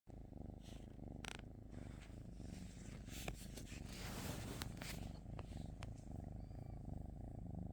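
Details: Cat purring, a steady low rumbling drone with a fine pulsed texture throughout, broken by a few sharp clicks and rustling noises overhead.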